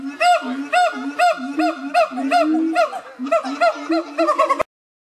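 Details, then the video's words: Loud siamang gibbon calling: a steady run of arched, hooting whoops roughly twice per second over lower booming tones, growing more rapid and dense before ending abruptly. "Siamang Gibbons"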